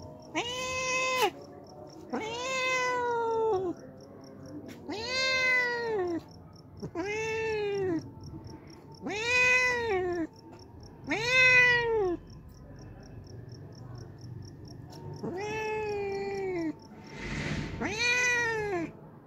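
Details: A hungry homeless cat that visits daily for milk meows repeatedly, about eight arching meows at irregular intervals of roughly two seconds, with a low hum and a brief noisy burst near the end.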